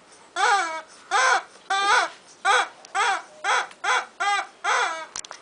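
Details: A two-month-old Bull Terrier puppy gives a series of high, arching whimpers, each a short cry.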